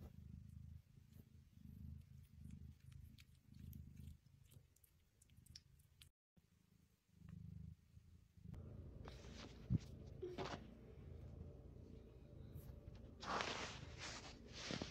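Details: Pet cat purring in low, rumbling pulses that run for roughly eight seconds, before rustling, handling noises and sharp clicks take over toward the end.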